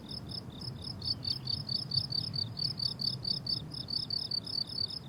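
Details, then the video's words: Chorus of crickets in a summer meadow in bloom: steady trains of high, pulsed chirps, roughly two per second, overlapping callers, over a soft low background hum. "Relaxing Cricket Sounds on a Summer Meadow"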